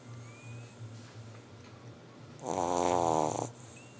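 A Boston Terrier lets out one loud, rattling snore lasting about a second amid quiet room hum.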